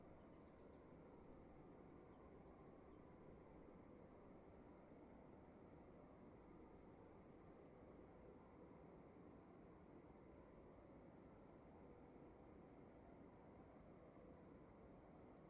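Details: Crickets in a room: short chirps in steady paired bursts, about two per second, over a constant thin high whine and a broad low hiss of room noise.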